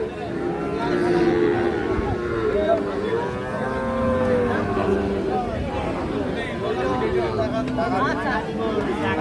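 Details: Sahiwal bull calves at Ambari cattle market, Parbatipur, Dinajpur, Bangladesh, during price bargaining; low, drawn-out lowing moos rise and fall over a steady hubbub of men's voices and market chatter.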